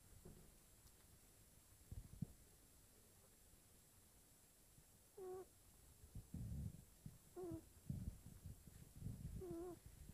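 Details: Female kitten snoring while asleep: soft low rasping breaths with three short squeaky nasal whistles in the second half, spaced about two seconds apart, over a quiet indoor hiss.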